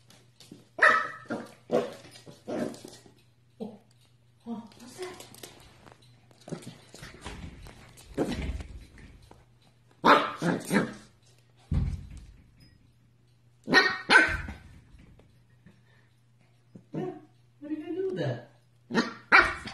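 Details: Corgi pups yapping indoors in irregular high barks and squeaky yelps, mixed with people talking and laughing, a constant low hum running underneath.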